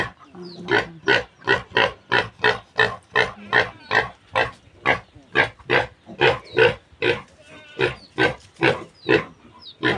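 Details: Piglets of a new sow being weaned, loose for a month and hard to catch: short, harsh, broadband grunts repeated steadily about twice a second, with faint high squeaks between them.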